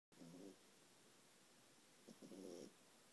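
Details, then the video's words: A 4-month-old French Bulldog snores with low, rattling, buzzy breaths, two snores about two seconds apart. "Ralphie the French bulldog snoring"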